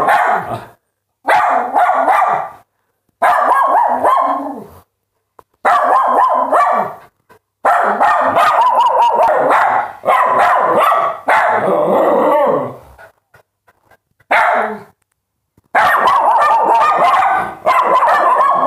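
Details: Dogs barking in short loud bursts of rapid, harsh barks, each volley lasting one to two seconds and separated by brief silences.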